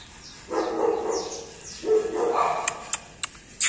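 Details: Golden Retriever puppies giving two drawn-out, mid-pitched barking bursts about a second apart, followed by sharp clicks and taps, with quiet background hiss.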